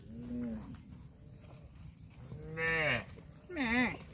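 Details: Cattle mooing: a low, steady moo, then two louder, higher harmonic moos, the last bending up and then down, over a quiet background.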